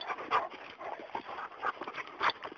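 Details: Great Danes at home with a person nearby. A dog pants in rough, breathy bursts about every half second.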